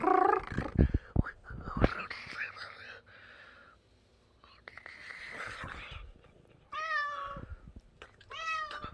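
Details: Stray cat, a street kitty, giving two short rising-falling meows near the end, after a stretch of soft close sounds, rustling and possible purring with faint whispering voices.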